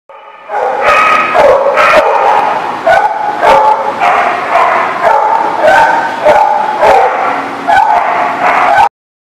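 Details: Dogs at The Barking Lot, recorded on 28 September 2019, give loud, repeated barks and yelping, whining cries that follow closely one after another, filling the whole stretch before stopping abruptly.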